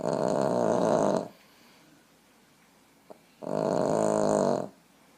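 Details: A Boston terrier napping on its owner's lap snores in two long, raspy breaths separated by a quiet pause.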